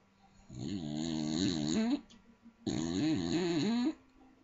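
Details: A small Staffordshire bull terrier asleep and snoring very loud, two harsh, vibrating snores of roughly one and a half seconds each, separated by a short pause, with the pitch wavering through each breath.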